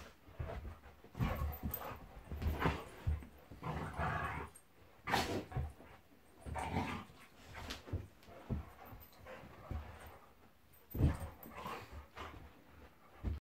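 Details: Pet Golden Retriever Monty in a play fight with Labrador Eric; deep throaty growls rise and fall in clustered bursts, with occasional higher yips, heavy panting and thumps of bodies moving.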